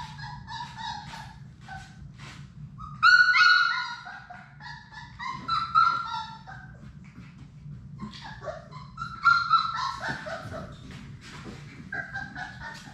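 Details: Playing Labrador Retriever puppies, Sadie's litter of six, indoors in a puppy play room: bursts of sharp yips and whiny whimpers, some sliding up in pitch, coming in clusters with pauses and soft rustling between.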